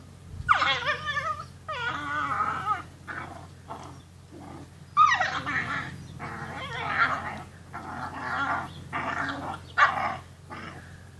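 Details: Rhodesian Ridgeback puppies at day 53, playing indoors on a day of poor weather: a run of high, wavering whines and whimpers, some sliding downward, coming in bursts of about a second, with short yips between.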